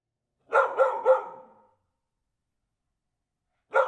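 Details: Dog barking: a quick run of three sharp, clear barks followed by silence, then another bark begins at the very end, with no other sounds.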